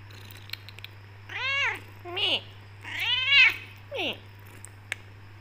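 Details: Black Persian cat Becky, tortoiseshell with golden highlights, meows to her owner because she wants to leave the room and eat; four arched, harmonic meows in two pairs, with light clicks before and after.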